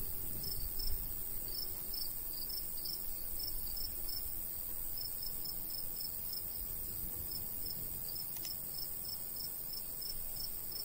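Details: Crickets chirp in a summertime countryside wheat field with a light breeze: rapid high pulses arriving in uneven runs and clusters over a steady shrill background, gusty low wind noise, and a faint sharp click midway.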